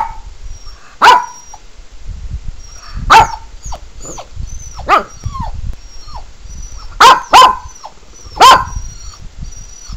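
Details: A male Pekingese gets worked up by animal whining videos played on a laptop, giving sharp, spaced barks mixed with short whining notes, with thin high whistles in the background.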